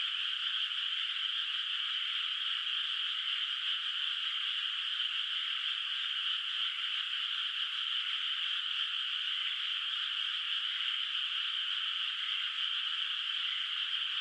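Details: Frogs calling at night over a moonlit rice field in the countryside, where the water is not yet planted with rice, distant; a dense, steady, unbroken chorus of high rasping croaks that merge into one continuous trilling wash.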